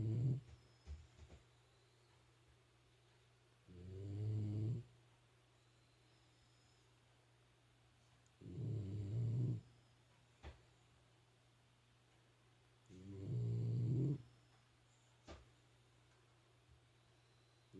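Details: Shiba Inu snoring at home, deep rumbling snores repeating roughly every four to five seconds over a constant low hum, with faint clicks in between.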